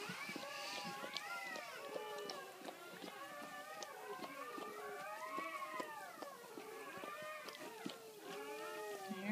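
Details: Freshly born Great Pyrenees puppies whining and squealing during the birth of the litter, long bowed cries layered over one another, with faint rustling beneath.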